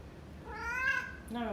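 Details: A pet male cat, after being refused a reward for bad behaviour, gives one drawn-out meow rising then falling, followed by a second shorter call as a person speaks softly indoors.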